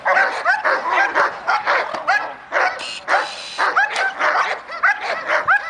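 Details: A German Shepherd at the start of its training gives excited, high barks and yelps, roughly two every second.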